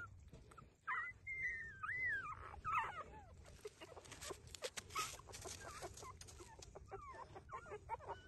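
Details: Street dog puppies breastfeeding give high, wavering whimpers and squeals that rise and fall, clustered early, then fade into short scattered squeaks amid bursts of broadband rustling and suckling noise.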